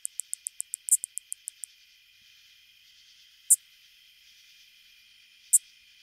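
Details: Greater Anglewing katydid (Microcentrum rhombifolium), a common Illinois and Midwest species, giving a run of steady high ticks, then sharp, sturdy zips spaced a few seconds apart.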